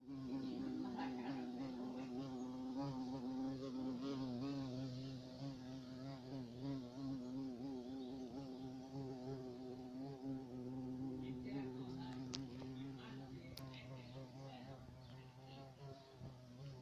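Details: Carpenter bee giving a steady, low droning buzz that holds an even pitch throughout, softly swelling and fading, with faint rustling in the background.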